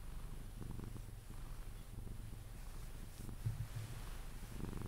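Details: Cuddled Sphynx cat named Pepe purring until asleep: a soft, low, rhythmic rumble with gentle pulsing, slightly uneven in strength, plus a faint rustle near the end.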